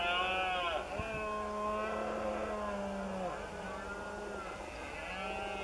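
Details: Red deer stags roar in the September rut, the berrea, in the marshland beside cork oak woods of Doñana. Long, hoarse, strongly harmonic bellows hold a steady low tone and then fall away. Other males call faintly in the background.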